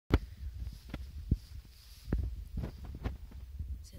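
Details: Irregular soft thumps and tapping knocks in a small indoor room, with a faint muffled voice and no animal call.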